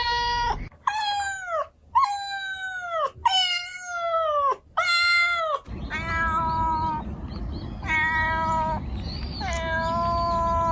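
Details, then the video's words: Cats making meow sounds: a quick series of five bright, falling meows, then after a cut three steadier, flatter meows over a louder low rumbling background. "Cats Meow 10 Minutes of Cats Making Meow Sounds"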